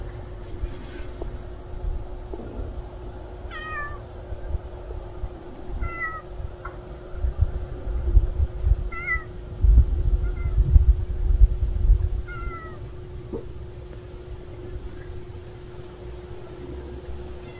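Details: Hungry stray cat, with hashtags pointing to orange kittens, giving short rising meows in scattered bursts over steady low rumble and a constant hum, louder rumbling mid-clip.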